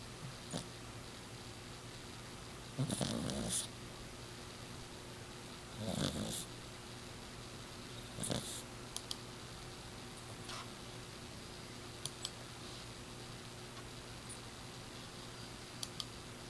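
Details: Miss Piggy, a six-year-old exotic shorthair Persian cat, snores loudly while sleeping, sounding almost human: rough, raspy snores about every two and a half to three seconds, with faint clicks in between over a steady indoor hum.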